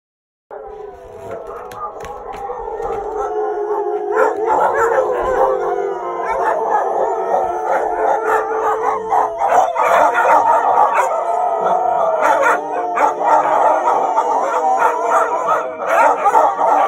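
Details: Several Siberian Huskies in their nightly group howl, which they do every night: long, wavering, overlapping howls rising in volume, layered voices sliding up and down, with some yips mixed in.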